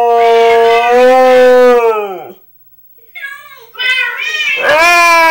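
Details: Husky howling at Minecraft cats: a steady sustained howl that sinks and fades after two seconds, then a pause before rising, wavering yowls return.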